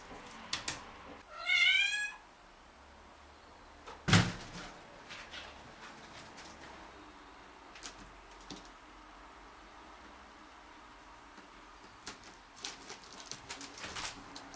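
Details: Shira, an Angora cat, relaxing while sunbathing in the morning, lets out a single short harmonic meow near the start, followed by a sharp knock and scattered faint clicks and rustles in a quiet room.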